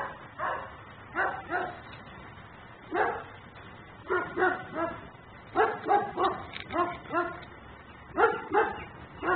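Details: Nuisance dog barking while left outside by its owner in Mecklenburg, caught on a home camera: bursts of two or three sharp, hoarse barks come in clusters with short pauses, about forty barks a minute, the sound thin and muffled.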